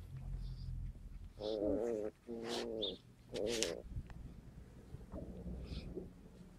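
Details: Skye Terrier puppies recorded on 5 June 2016, three drawn-out, wavering whines of about half a second each, followed by softer faint whimpers over a low background hum.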